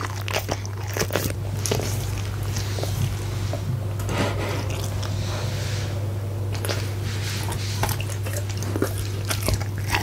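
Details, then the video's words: Crunching and biting by Punte the goldendoodle as he eats a steak and egg dinner inside, captured with a Blue Yeti microphone; continuous busy chewing with crisp clicks and squelches throughout, a steady low hum underneath. "Dog Eating Steak and Eggs!"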